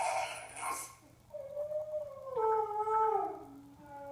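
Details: A Yorkipoo reacting to dog bark and whine sound effects gives a brief harsh bark, then a long, wavering, high-pitched whine.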